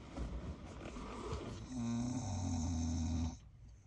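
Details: Senior pit bull sleeping indoors, snoring: a rough, noisy breath for about a second and a half, then a steady low droning snore with clear tonal bands lasting nearly two seconds before fading to quiet.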